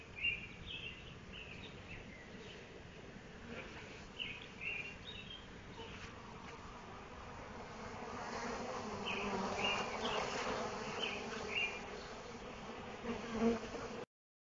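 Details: Honey bees from home apiary colonies, fed honey poured at the hive front on 16 July 2011, buzz in a steady, low drone that swells louder toward the end.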